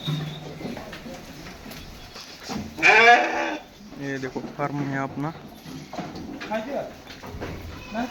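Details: Osmanabadi goat giving one loud, wavering, nasal bleat of about a second near the middle, amid steady human talking and several softer voiced sounds before and after.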